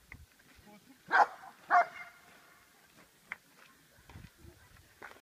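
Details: Dog named Che in Schutzhund protection training, barking during the hold and bark exercise: two loud, harsh barks about half a second apart, then quieter sounds and faint voices.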